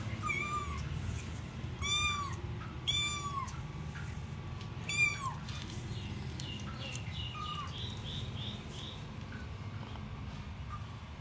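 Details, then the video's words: Mother cat nursing her newborn kittens, giving several short rising-falling meows in the first five seconds, then quieter faint high squeaks from the kittens over a low steady hum. "Cat is feeding her New Born Kitties"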